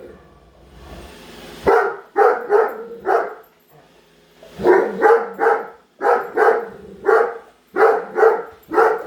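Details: Great Dane Padme follows a Roomba and barks at it; after a quiet opening with low hum, loud barks come in clusters of two to four, closely spaced and forceful.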